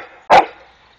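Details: Rhodesian Ridgeback Jasper at play with a neighbour's peacock, giving one short, sharp bark that fades quickly into a quiet background.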